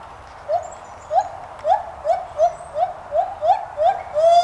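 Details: White-handed gibbons at Santa Fe College teaching zoo, Gainesville, Florida, giving a rapid series of short, clipped rising hoots, about two per second, evenly spaced, ending in a longer sustained rising note.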